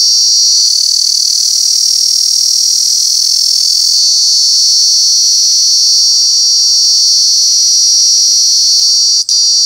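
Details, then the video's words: A cicada near Alaveddy, Jaffna gives a steady, ear-piercing, high-pitched shrill buzz that drones on without a break. "சில் சில் சில்வண்டு"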